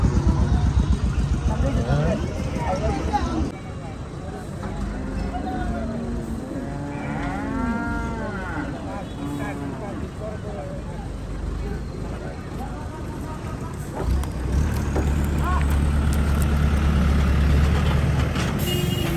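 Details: Cattle being unloaded at the Gabtoli cattle market in Bangladesh, giving several long, arched moos that rise and fall through the middle of the recording, over a steady low rumble of engines and vehicle noise.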